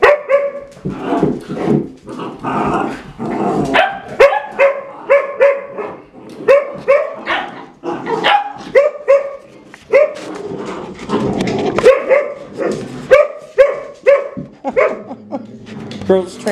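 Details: Red Standard Poodle mother disciplining her puppies, which ignore her; loud rhythmic barks and sharp higher yips about every half second, several dogs overlapping, with growly scuffling between.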